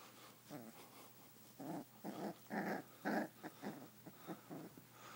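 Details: Boisterous five-week-old sheepadoodle puppy play fighting indoors, giving a run of short, quiet growling bursts about twice a second, several louder in the middle, with a faint steady low hum behind.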